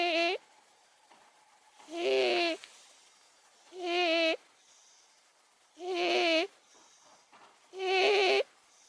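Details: Snoring of Momo, an elderly 18-year-old house cat, while asleep: loud, harsh, tonal breaths of about half a second, returning steadily roughly every two seconds.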